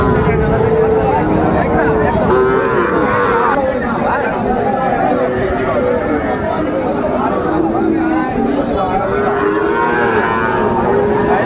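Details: Cattle at a market in Comilla, Bangladesh, where bull calves are sold; Nepali breed is mentioned. Several drawn-out moos rise and fall through the crowded scene, under constant human chatter and bargaining voices.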